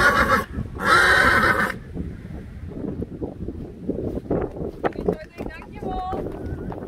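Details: A Friesian mare gives a loud, harsh neigh in two bursts at the start, followed by a woman speaking and low rustling.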